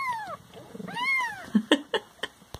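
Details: Pet Siamese cats indoors give two long, clear meows, one falling and one arching up then down, followed by a series of sharp knocks and clicks.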